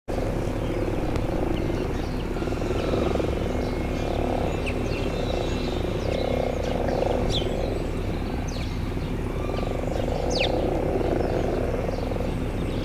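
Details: Frogs back at garden ponds in spring, giving low purring croaks in overlapping bursts that swell and fade every few seconds, over a steady low rumble.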